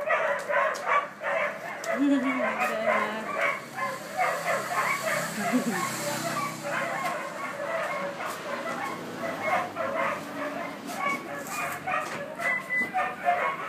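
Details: Collie pups aged 50 and 63 days, filmed 20 July 2013, keep up a busy chorus of short high yips and whines, while a human voice briefly speaks low beneath them.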